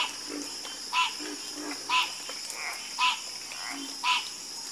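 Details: Frogs in a chorus: a loud, bright croak repeats roughly once a second, and softer, lower croaks answer in between. A steady high insect-like hiss runs throughout.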